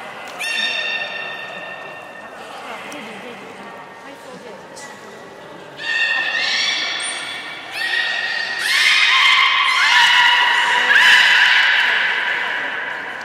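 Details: Belugas during feeding and play at Port of Nagoya Public Aquarium on 3 February 2019; soft whistles build into overlapping, dense harmonic squeals and rising whistles that grow loudest in the second half, with a thin high tone near seven seconds.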